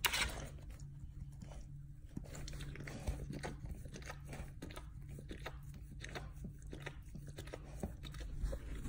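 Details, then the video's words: Enthusiastic licking and nibbling by a dog at its rear: bursts of moist smacks and crunchy bites separated by brief quieter gaps, with a sharp noise at the very start and a steady low hum. "Dog Chewing and Licking his Bunghole ASMR sounds"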